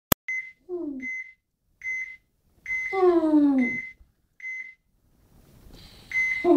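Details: Sammy, a pet dog, gives a whimper and then a falling, wavering howl of about one second indoors. High electronic beeps repeat steadily throughout, roughly every 0.7 seconds.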